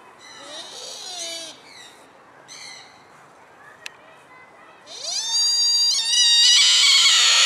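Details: Sika deer at Blanckendaell, Tuitjenhorn, Holland, giving high harmonic calls: short wavering squeals early, then a long, loud, rising whistle-like cry that swells and holds over the final seconds, with a quiet background between calls.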